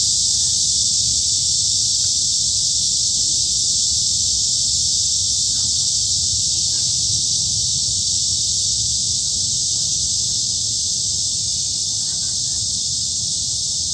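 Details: Midsummer forest at Daejeon's Hanbat Arboretum, Korea, filled with cicadas: a continuous shrill hissing drone that stays level from start to finish, with faint clicks and light background rumble.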